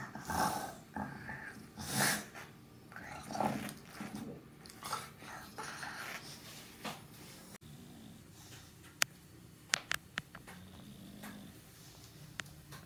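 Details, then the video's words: British Bulldog named Meatloaf snoring indoors: rough, rasping snores repeat roughly every one and a half seconds through the first seven seconds, then fade to quiet breathing broken by sharp clicks. "British bulldog # Meatloaf is snoring"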